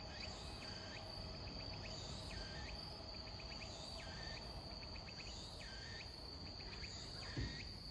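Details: Robust cicada (tsukutsuku-boshi) singing slowly in autumn, late September evening around 17:30, possibly weakened; repeated buzzy phrases with short pulsed notes between them, cycling about every 1.5 seconds over a constant high insect drone.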